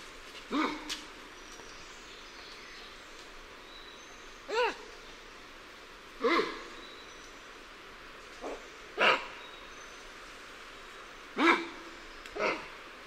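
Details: Alarm calls of lion-tailed and bonnet macaques at varying distances: short harsh barks repeated every two to three seconds, each a brief falling note, against constant faint forest hiss.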